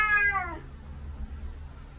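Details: A vocal male Bengal cat, annoyed he can no longer escape over the back door, lets out one loud, nasal, overtone-rich meow that falls in pitch as it fades, then quiet room hum.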